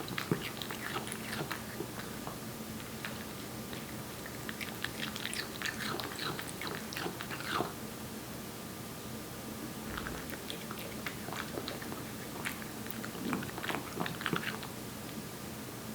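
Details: One-year-old Korean Shorthair named Aebbi chewing wet food indoors; wet smacking chews and sharp little clicks come in bursts separated by brief pauses, over a steady background hum.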